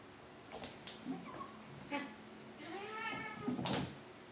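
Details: Maine Coon meowing at home, where ten-year-old Triton lives with young Alexander; a drawn-out, arching meow near the end follows a few shorter faint calls, with soft knocks and clicks in between.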